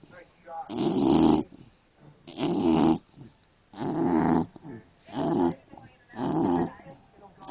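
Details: Sleeping English Bulldog snoring indoors, five rough, throaty breaths in about seven seconds, each a broad raspy burst roughly every one and a half seconds with quiet gaps between them.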